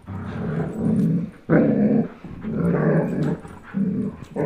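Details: Chase, a 10.5-month-old German Shepherd, and Blizzard, a 1-year-old Old English Sheepdog, growl while playing tug of war; deep, loud rumbling growls come in long sustained bursts of about a second each, broken by brief pauses.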